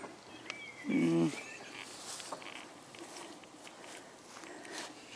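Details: Common frog (Rana temporaria) at gardening allotments in Midhurst: one short, low, pulsed grating croak about a second in, then quiet outdoor background with faint hiss.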